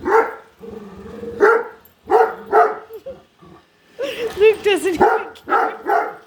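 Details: Indoors, a female Great Dane won't stop barking at a new robot vacuum: short harsh barks in pairs, then a run of higher whiny yelps and wavering whines before more barking.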